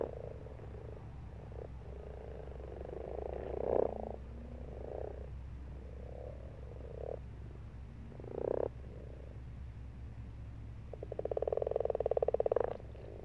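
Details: Pond frogs in March croaking in bursts of rapid pulsed trills, several overlapping, with louder close croaks near four and eight seconds and a strong rattling burst toward the end, low rumble underneath.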